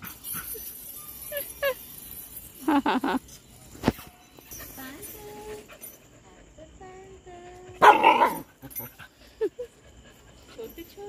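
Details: Dog barking in a few sharp, loud bursts spread across the stretch, the strongest near the end, mixed with whining tones, human speech and small jingling sounds.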